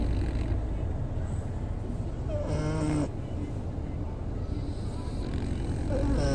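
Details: French bulldog snoring throughout a road trip through hills and streams. Rough, tonal snores come every three seconds or so over a loud, constant rumble from the vehicle.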